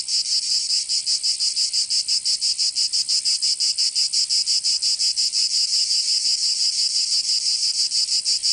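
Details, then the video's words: Cicadas singing in summer in Provence, southern France: a dense, buzzy, high-pitched drone pulsing rapidly and steadily, about three beats per second, with no other sounds. "Canto Cigarra 🦗 [ Escuchar les cigarras en verano 10 H]"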